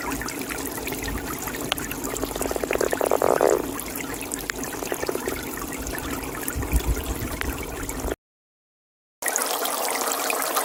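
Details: Toad in a pond giving a short, rapidly pulsed rattling trill that swells and fades over about a second, with scattered fainter croaks, over constant trickling water; a brief dead-silent gap breaks the recording near the end.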